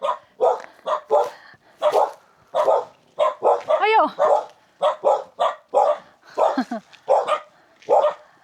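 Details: Domestic dog at a remote hilltop village in the mountains of Hunan, China, barking at arriving visitors: a rapid, irregular run of sharp, mid-pitched barks, about one every second, with a short spoken remark partway through.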